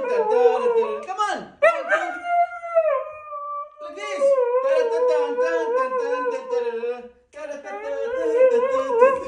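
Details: Female pet Siberian Husky at home after a dance lesson, answering her owner; long wavering tonal howls and yodel-like 'talking' with rich harmonics, pitch sliding up and down, in several phrases separated by brief pauses.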